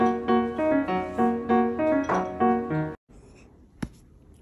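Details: A short repeated piano phrase plays for three seconds, then stops, leaving quiet room background with a single sharp click, and no animal sound is heard.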